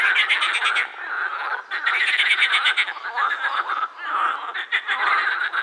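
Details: Chorus of edible frogs at Krebsenwasser in the Wiener Prater, Vienna, males calling with vocal sacs; bursts of fast, rattling quack-like croaks swell and fade in waves about every second or two, several frogs overlapping.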